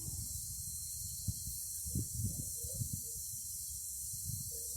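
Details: Cicadas singing as a steady, unbroken high hissing buzz throughout, with a low rumble and soft thumps underneath.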